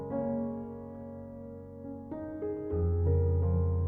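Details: Sustained piano notes and chords ring out, the harmony shifting a few times and swelling louder near the end. No animal sounds are heard.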